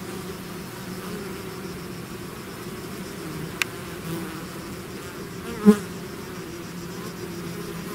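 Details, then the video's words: Bee swarm out of its hive hums in a softer, steady low drone; a sharp tick and one bee zipping past close by stand out briefly. "bees therapy swarm natural buzzing sound"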